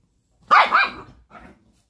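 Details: Chihuahua indoors giving one sharp, high double-peaked bark followed by a softer, shorter yap, right after a person asks a question.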